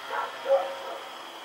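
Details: Rex, a dog barking while roaming at night on October 7, 2018, lets out one clear bark after a softer, rougher sound, with a steady high-pitched hum throughout.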